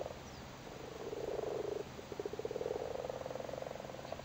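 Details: Frogs busy spawning in a flooded cattle grid in Cork, Ireland: a quieter low purring croak, rapidly pulsed, rising out of background hiss after a second and running on unevenly.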